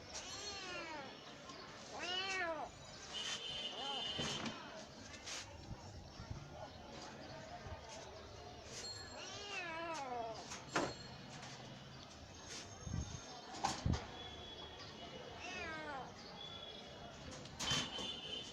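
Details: Domestic cat giving several drawn-out, arching meows, rising then falling in pitch, at irregular intervals, with sharp clicks, thumps and background speech between calls.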